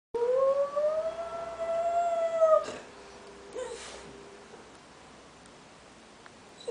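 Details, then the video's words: A dog howls in one long smooth tone that slowly rises, held for about two and a half seconds, then breaks off into quiet with a faint short sound near the end. "Otello Howling"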